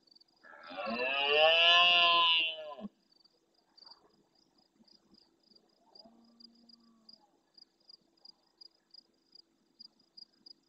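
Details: Rutting male red deer in the Doñana marshes, Andalusia, Spain, roars loudly near the camera at nightfall in answer to distant males: one harsh, harmonic bellow of about two seconds, then quiet with faint background calls and steady rhythmic high ticking.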